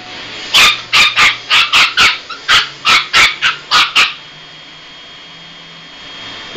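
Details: Chihuahua puppy freaking out over a hand vacuum, a rapid series of about twelve sharp high yapping barks in quick succession, then quiet with a faint steady hum.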